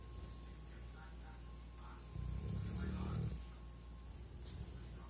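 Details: Greyhound named Max snoring while asleep: one low, rumbling snore swells for about a second midway through, over a steady faint hum, with a soft voice-like murmur in the background.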